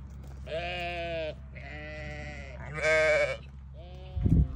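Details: Four clear bleats from newborn lambs, each about a second long and strongly harmonic, the third louder and harsher, with a low hum beneath and a brief clatter at the close.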